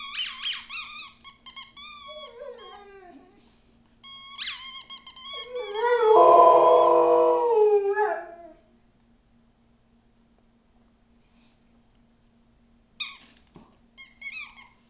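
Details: Rhodesian Ridgeback indoors, howling while playing with her squeaky toy: long wavering howls with sliding pitch, a loud rough swell in the middle, then quiet before a few squeaky-toy squeals and short yips at the end.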